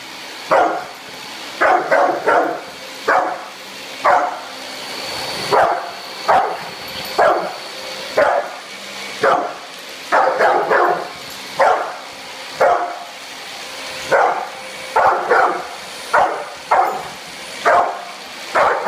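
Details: Brindle Pit Bull named Bullet, roughly two to three years old, giving a long run of loud, punchy barks, often doubled or tripled, repeating roughly every second across nearly twenty seconds against faint constant hum.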